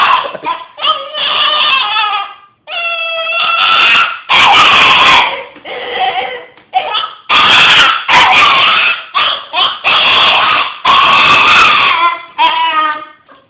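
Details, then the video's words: Hiro, a pet dog, howling and making strange, demon-like noises: a run of short, yelping, harmonic howls and whines in quick uneven bursts, some strained and raspy, indoors. "Hiro Howling....and making demon noises"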